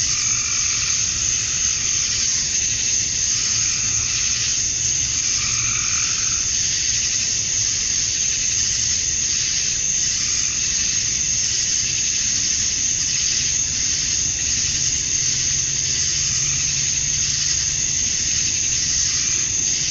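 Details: Male cicadas chirping for females on a summer evening at dusk in Georgia, USA; an unbroken shrill buzz fills the air, with brief lower warbling notes from another caller around five seconds in.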